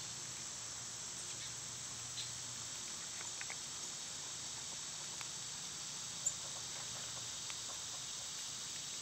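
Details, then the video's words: Quieter summer cicada chorus, a soft, steady high-pitched whine. Scattered faint clicks and ticks sound from other wildlife, along with a low background hum. "Cicada sounds"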